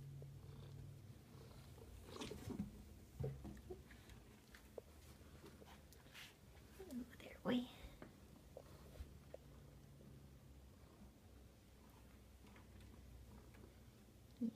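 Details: Domestic cat indoors, one of the pets Prince Charming and Otis, purring: a low, steady rumble that rises and fades under soft, whispered human speech, with scattered faint clicks and rustles in a small room.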